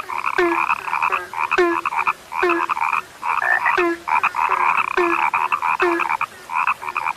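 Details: Chorus of frogs said to have become rare: continuous overlapping croaks, rapid pulsed bursts with short gaps, punctuated by a deeper falling note about once a second, many animals calling together.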